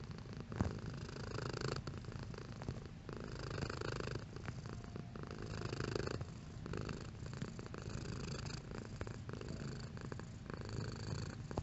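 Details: Pet cat purring steadily, a deep vibrating rumble that swells and eases with each breath in regular cycles; intensity shifts gently over the stretch, with a brief soft click early on and otherwise quiet surroundings.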